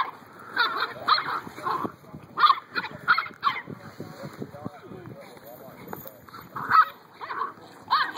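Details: Puppies yip and bark in short, high, harmonic bursts, with clusters near the start, around two and a half seconds and again near seven seconds, while people talk in between.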